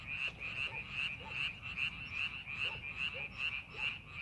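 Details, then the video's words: Rice-paddy frogs during farming preparation call in quick, regular croaking pulses, roughly two to three a second, layered over a ringing high trill, with some lower individual croaks between beats. "농사준비하는 논에서 개구리 울음소리"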